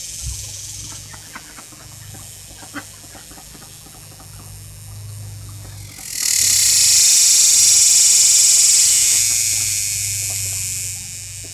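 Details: A cicada singing close by: quiet background with faint ticks for six seconds, then a sudden loud, shrill buzzing drone rises and runs for about five seconds, easing slightly toward the end.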